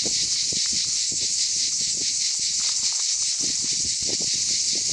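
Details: Cicadas in the Aude region of southern France in summer fill the air with a steady, shrill, high-pitched buzz that never pauses.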